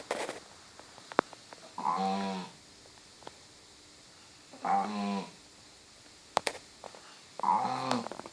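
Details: A dog snoring, said to sound like a cow: three rough, buzzy, harmonic-rich snores about half a second long, spaced roughly every three seconds, with faint clicks between them in a quiet room.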